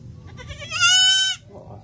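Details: Domestic goat bleating in reply to a person calling it, said to be hungry; one loud, steady, nasal bleat of about half a second, with strong even harmonics, after low background rumble.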